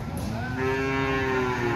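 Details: Short fragment of a steady, level moo from cattle at Ambarketawang market in Gamping, Jogja, cut off within two seconds, with low rumbling market noise beneath.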